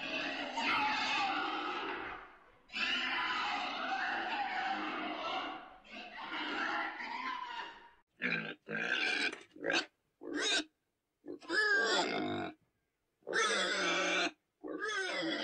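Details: Long, harsh, continuous pig squeals of several seconds each, then a run of shorter, choppy squealing bursts broken by silent gaps.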